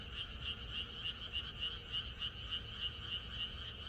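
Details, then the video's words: Frogs chorusing together in rural surroundings the night before rain, their croaks pulsing evenly about three and a half times per second, high and rasping, with a softer lower layer beneath and steady background hum. "비가 오려나?이것이 자연의 소리 ~개구리들의 합창"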